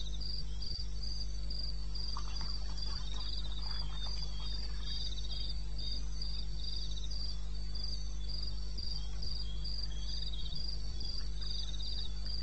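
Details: Night chorus of crickets in eastern Botswana wilderness at 02:30 on 21 May 2016. Shrill pulsed trills repeat in an even rhythm over a softer, lower chirping layer and a steady deep hum.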